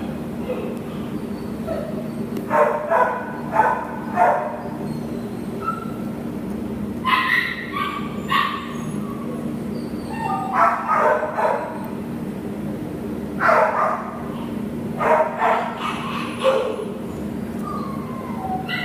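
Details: Nala, an American Pit Bull Terrier offered for adoption, recorded 10/1/2015, barks in repeated clusters of two to four quick yaps separated by brief pauses, with a low continuous hum underneath.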